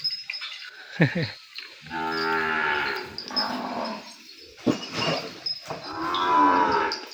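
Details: Separated calf crying for its mother on a cattle farm, penned apart from her: a steady moo of about a second, then a longer rising cry, with a brief sharp sound between.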